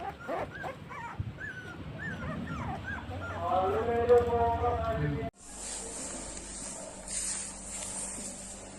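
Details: Puppies offered for sale by a dog dealer in India give high, thin whimpering squeaks that rise and fall in short bursts, mixed with people talking, before a steady hiss takes over.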